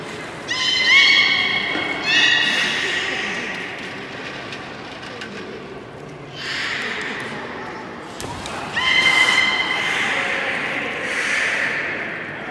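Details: Beluga in public training at Port of Nagoya Public Aquarium, 16:30 session on 24 March 2018: two close bursts of steady, harmonic buzzy tones, a pause filled with audience noise and a thud, then a third similar burst.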